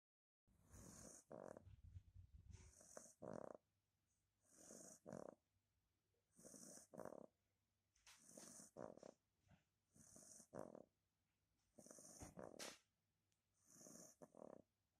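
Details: Johnny, a two-month-old beagle puppy, relaxing and snoring loudly: breathy, rasping snores come in regular bursts about every two seconds, each a broad rough rush of sound separated by short quiet pauses in a still room.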